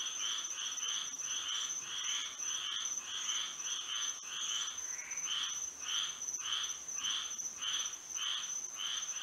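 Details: Moonlit Florida night with frogs singing: rapid overlapping rasping notes at first, then slower, more spaced pulses near the end, all over a continuous high steady tone.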